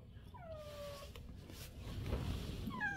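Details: Stray cat that comes daily for food, called inside on a cold day, gives a long meow sliding downward, then a second meow begins near the end; low room rumble and a person calling softly around it.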